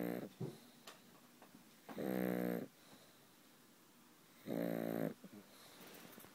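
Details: Sleeping pug named Frank snoring loudly in a small room, long buzzy rattling inhalations about two and a half seconds apart, each a dense stack of harmonics, with quieter wheezy breaths between.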